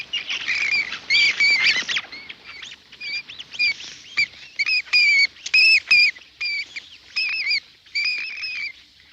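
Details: Indian flying fox (Pteropus medius), a large fruit bat roosting upside down high in the tree canopy, giving shrill, squeaky chattering calls in irregular bursts, with strongly curved, warbling notes and some overlapping noisy squabbling.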